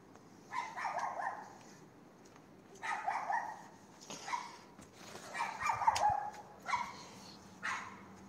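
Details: Night barking from a neighbouring dog opposite on a Castelldefels street, 22:30, 18 May 2021: repeated single and doubled rough barks, roughly one every second or so, fairly distant, over a low constant hum.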